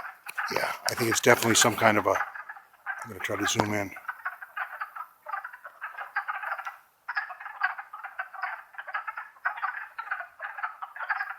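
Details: Wood frogs chorusing in the Longkill Woods during April 2014. A person talks over the opening seconds, then the frogs' rapid, overlapping clucks carry on as a steady, choppy mid-pitched chatter with one short gap.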